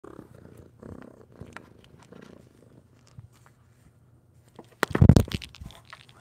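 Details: A cat, an orange kitten, purring softly, low rumbling pulses in bursts during the first seconds, then a louder rustling and scratching burst near the end as paws reach toward something.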